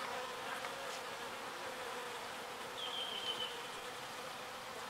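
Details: Small bees foraging pollen and carrying it back to the hive: a steady, dense, droning hum with a strong low buzz tone, continuous throughout, with a brief thin high whistled note near the middle.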